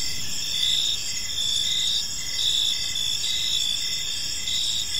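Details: Evening park ambience of crickets: continuous high-pitched pulsing chirps from several insects overlapping, steady in loudness, over faint low environmental noise.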